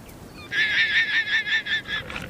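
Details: A guanaco gives a shrill, stuttering alarm call, warning others nearby of pumas, cubs learning to hunt, that failed to stay hidden while stalking.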